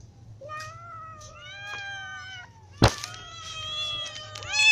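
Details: Hungry cats, a ginger cat with kittens and adults, give long sustained meows with clear stacked harmonics, a sharp knock near three seconds, then a rising insistent meow closing the stretch.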